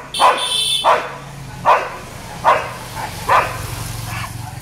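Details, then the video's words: Street dogs barking at a Labrador, six loud barks in under five seconds at uneven spacing, the later ones fading, over a thin high steady tone early on and a low droning hum. "Labrador vs Street dogs barking"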